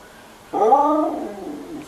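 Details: Female husky named Sapphire vocalising to ask for her food: a short rising then falling whining moan with clear harmonics, trailing off softly, between an owner's spoken questions.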